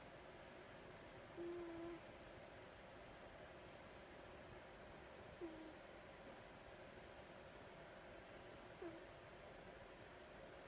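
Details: Sleeping tuxedo cat named Vita snoring quietly. A thin, level whistle on one breath is followed by two briefer whistled snores several seconds apart. Steady faint room hiss runs underneath.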